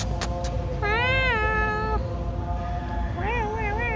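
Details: Domestic cat crying while being held: two drawn-out harmonic meows, the first long and slightly wavering, the second shorter with a dip and wobble, over steady background music.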